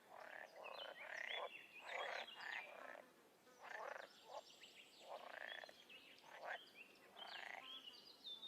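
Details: Frogs and toads calling outdoors, a mix of short pulsed croaks and higher chirping upsweeps from several animals, delivered in clumps about a second long with small gaps between.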